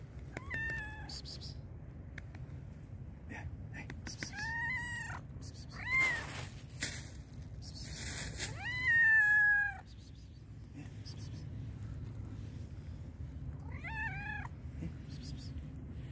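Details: Loud meowing from a hungry black and white cat: several arched meows, one long drawn-out cry near the middle, plus bursts of rustling, clattering and a brief broadband noise.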